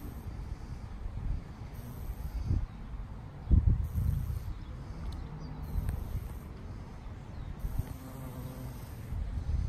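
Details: A female valley carpenter bee (Xylocopa varipuncta) feeding on Mexican sage in a garden gives a low, droning buzz that rises and fades as it moves about.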